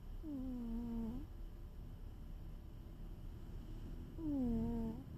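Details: Two whistled snores from a sleeping cat, each under a second with a falling then level tone, about four seconds apart in a steady breathing rhythm, over low hum and faint hiss.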